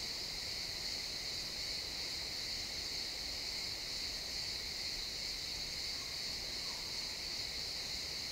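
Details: Crickets chirping in a pine forest at sunset, captured in XY stereo: a dense, unbroken high-pitched trill hums steadily throughout with a fainter lower band beneath, over soft woodland ambience.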